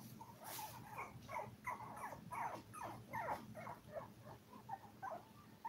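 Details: Seven Toy Poodle puppies, five weeks old, give a fast run of high, quivering squeals and whimpers, nearly three a second, rising and falling in pitch, with a low background hum.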